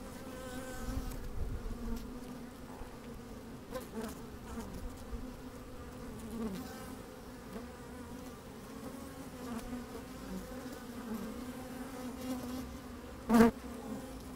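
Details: Honey bees working inside an opened hive on a fine, sunny day, microphone slid down into the hive: steady droning hum with a strong low band, soft shuffling movement, and one sharp click near the end.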